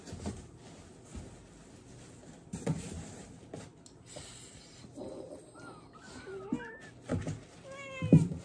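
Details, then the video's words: Cat having its diaper changed, giving a few short, wavering mews in the second half after a stretch of rustling and handling noises; the final meow is slightly louder, with faint background hum throughout. "Cat Diaper Change"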